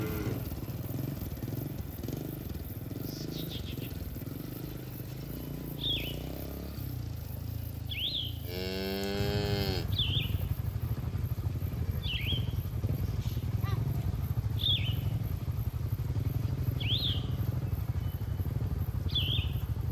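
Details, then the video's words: A herd of cattle grazing in a green field, enjoying the grass: one loud, full moo lasting about a second and a half sounds midway, while short bird chirps repeat every second or two over a low rumble. "Suara Sapi Moo"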